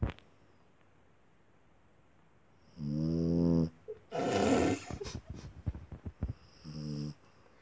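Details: Small dog snoring: a long buzzy snore with a whistling edge, then a loud rough exhaling snort, scattered snuffles, and another shorter whistled snore near the end.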